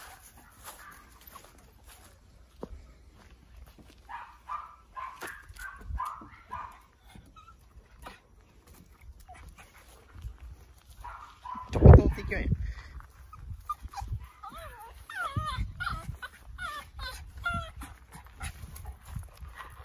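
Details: Yoichi, a male tricolour Cavalier King Charles Spaniel in Fukuoka, Kyushu, Japan, at peak excitement gives meow-like cries. A run of brief tonal whines, then a loud thump, then long wavering, bending mewing calls with soft rustling.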